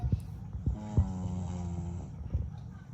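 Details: A 6-month-old English Bulldog puppy snores with a low, rattling drone that swells and fades with each breath.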